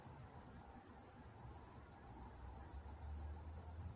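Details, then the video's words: Crickets in Walnut, California chirp at night in brisk, regular high pulses roughly three per second, one steady pitch with a faint higher echo band and a soft low hum beneath. "Nature Sounds Night Time Crickets in Walnut, California"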